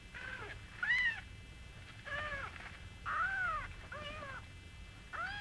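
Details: Singapura kittens with their small mother Mii. The kittens give a series of arched, high-pitched meows roughly every second, some louder and more strained than others, against a quiet indoor background.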